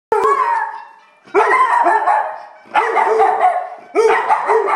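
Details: Pet dog barking and howling in response to a trumpet theme tune; three drawn-out, wavering howl-barks with strong harmonics, each starting abruptly and fading over about a second.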